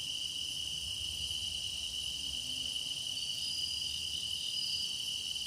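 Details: Grass insects singing as a meditation soundscape: a steady, unbroken high-pitched ringing drone with layered shimmering upper tones and faint short whistles near the end, with no other clear sounds.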